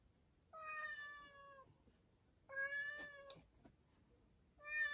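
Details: A cat that has gone into a storeroom meows three times, each call a drawn-out, harmonic-rich tone lasting about a second, with quiet pauses and a few soft knocks between them.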